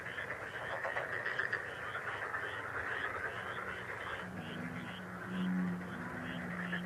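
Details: A continuous frog chorus of rapid, rattling croaks from many callers. In the second half, a low humming tone rises and wavers beneath the calling.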